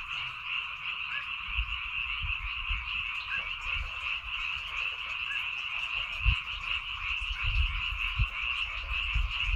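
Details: Rice-field frogs on Baengnyeongdo Island, Korea, in full chorus: unbroken overlapping croaks forming a bright steady hum, with occasional low thumps and bumps in the background.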